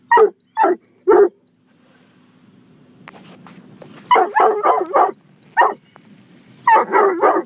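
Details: Gunner the coonhound mix barks defensively inside a car wash: three sharp barks, a rumbling pause of washer noise, then quick clustered barks returning toward the end.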